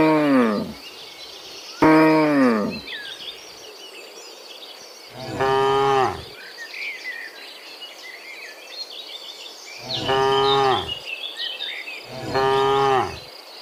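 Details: Herd of dozens of cows walking home from the fields to the pen in the afternoon; several separate harmonic moos, some brief and falling, others longer, spaced a few seconds apart, with faint chirping birds and insects behind.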